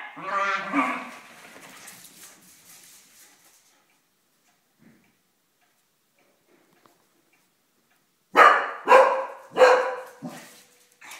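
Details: Dachshunds fighting: a wavering, harmonic yelping growl opens, fades into a long near-silent gap, then four loud, harsh barks burst out in quick succession near the end.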